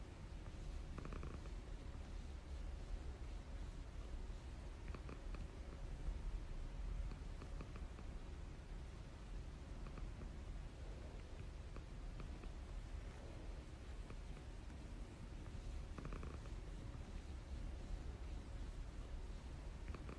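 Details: Golden British Shorthair cat named Maple purring: a steady, low, continuous rumble lasting twenty seconds without pause, with faint rustling over it.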